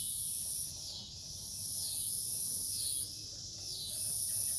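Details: Cicadas at night in a forest near a farm in Omaha, Nebraska, 08 03 2021. Two layers of sound: a piercing high drone surging roughly once a second, and a lower wavering buzz that bends up and down.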